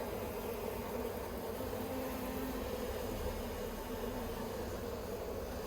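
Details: Honey bees of the Yellow Hive in Australia on 9 October 2021, worked by a beekeeper while plastic frames the bees dislike are dealt with; a steady, dense droning hum with low hiss and no clear break.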